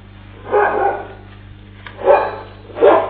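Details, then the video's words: A dog outside Nairobi, Kenya, herding cattle away from a roaming lion, caught on CCTV; three rough barks near 0.6, 2.1 and 2.9 seconds over a steady low hum, band-limited and muffled. "Brave Dog Herds Cows Away from Roaming Lion"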